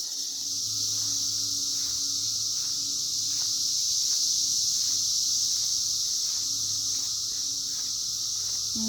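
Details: Cicadas emerging in 2021 fill the air with a steady, unbroken high-pitched droning chorus that holds level throughout, with a faint low hum and soft periodic pulsing underneath.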